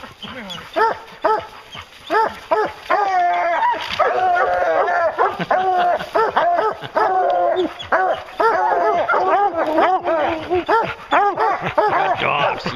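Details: During a bear hunt, a pack of hounds keeps up a long, continuous baying chorus: layered barks and drawn-out, wavering bawls from several dogs overlapping throughout.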